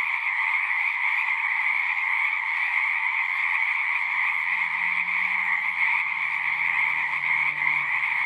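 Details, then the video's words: Chorus of many singing frogs, a continuous shimmering trill layered in two high bands; partway through, faint low droning tones slide in beneath the frogs. "One hour of singing frogs."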